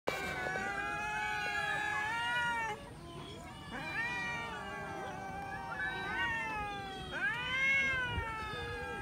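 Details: Several domestic cats eating raw chicken, giving repeated harmonic meows that rise and fall, overlapping one another in near-continuous wavering cries with short gaps, over a faint background hum.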